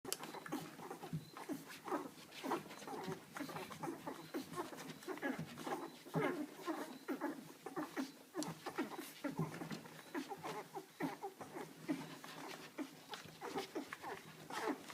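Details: Litter of six two-week-old Canaan Dog puppies, two females and four males, fighting for milk while nursing; dense overlapping squeaks, whines and grunts, shifting constantly with soft rustling and patter of bodies.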